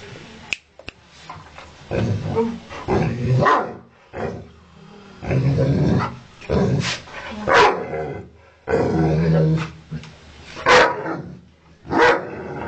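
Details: Ovcharka mix dog angry at its owner, barking and growling: low rumbling growls between loud harsh barks in bursts, sometimes doubled, spaced about one to two seconds apart.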